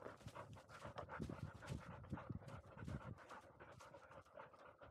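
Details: Field-line Labrador Retriever, 439 days old, dashing up a slope; rapid rough panting breaths, low and noisy, with faint rustling in the background.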